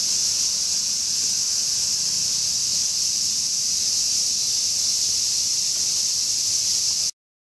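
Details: Large brown cicada singing in summer: a continuous, dense, hissing drone held steady at high pitch for about seven seconds, with no breaks or other clear sounds before it cuts off.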